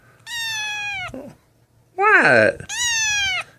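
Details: Snowball, a malnourished kitten found lost and abandoned in the street, gives three loud, high meows while being held indoors, the middle one a rough, falling cry; a man's voice speaks softly between them.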